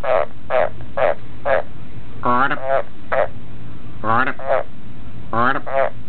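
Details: Pet Australian green tree frog croaking back on cue, working for a cricket reward. Brief grating pulses come in quick runs, interrupted three times by longer, upward-sweeping croaks.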